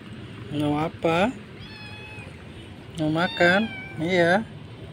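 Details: Kitten among the homeless street cats of Jakarta, Indonesia, that are fed daily: four rising, nasal meows in two pairs, each pair a short cry and a longer one, with a thin tonal whine between and a low background hum.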